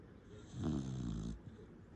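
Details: Sleeping puppy snoring hard: one low, rough, droning snore that swells and fades over about a second, followed by a short soft snort in a quiet room.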